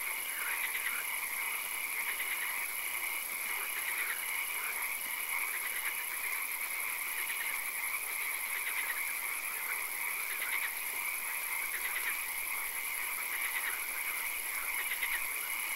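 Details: Frog calls from a nighttime swamp, short clicking pulse trains recurring every couple of seconds within a continuous chorus and a bright, steady background hiss.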